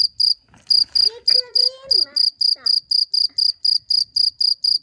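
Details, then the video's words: Loud cricket giving evenly spaced high chirps about four per second, overlapped in the middle by a person's speech. "CIRCIR BÖCEĞİ'nin sesi neresinden çıkıyor?"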